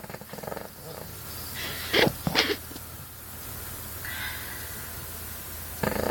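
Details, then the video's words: A Cavalier King Charles Spaniel snores loudly while asleep, with rough, breathy rasps that come and go in uneven pulses. Her snoring habitually kept her owners up all night. "cavalier king charles spaniel aka Betty snoring her head off"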